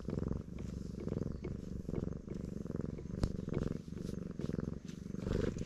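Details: Stray black cat purring loudly with delight while being stroked, filmed on a GoPro HERO8; a steady low rumbling purr pulses in breath-length phrases of about half a second, with faint rustling handling noise.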